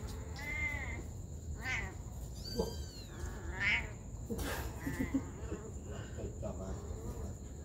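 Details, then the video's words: Mother cat caring for her baby kittens: a string of short, high mews with some arching and falling, mixed with brief clicks and soft thuds over a constant high-pitched whine and low rumble. "Very good mom cat is taking care of her baby kittens"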